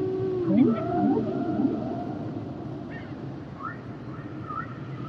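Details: Song of humpback whales with a run of short crossing swoops early, followed by soft high chirping notes and thin sustained whistles over a murky background.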